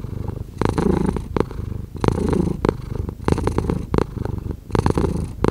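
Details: Low, rough purring from a cat, coming in about four loud surges separated by softer, quieter stretches, each surge lasting under a second.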